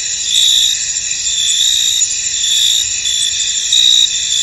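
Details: A field wrapped in fog holds a chorus of crickets: a shrill, even, high-pitched trill with a few stronger chirp pulses surging briefly over the steady bed.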